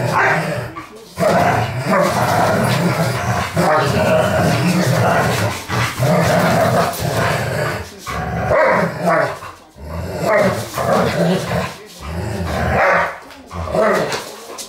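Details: Playing Dobermanns give sustained low, gravelly growls in uneven bursts lasting one to three seconds, separated by brief silences, with occasional sharper, louder gruff outbursts mixed in.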